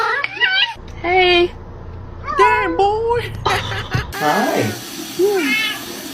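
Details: Domestic cat in a compilation of "talking" cats, indoors: a few short meows with wavering, rising-then-falling pitch, some drawn out like spoken words, alternating with a person's voice greeting and answering the cat.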